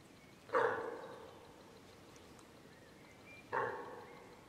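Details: A hind deer separated from her calf by wild boar calls for it: two short, sharp, nasal cries about three seconds apart, each starting loud and trailing off, with quiet surroundings between.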